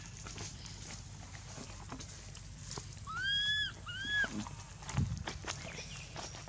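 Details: Hurt after Aron hit her and dragged her across hard ground at Angkor Wat temple, baby monkey Anissa utters two high rising-falling wails close together, surrounded by rustling, knocks and a low background hum.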